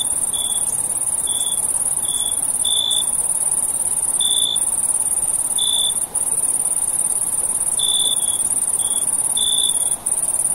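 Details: At night, a continuous piercing high-pitched cricket trill runs without a break, while another cricket gives brief lower tonal chirps, single or in quick pairs, spaced unevenly a second or two apart.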